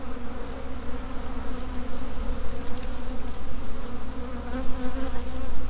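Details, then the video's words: Swarming honey bees produce a thick, unbroken low drone, many wingbeats blending into one steady hum with slight swells in loudness. "Honey Bee Swarm"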